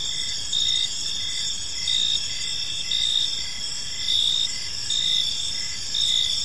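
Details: Cricket chorus in a park as evening falls: high trilled chirps swelling in short bursts nearly once per second, layered over an unbroken shrill background of other insects.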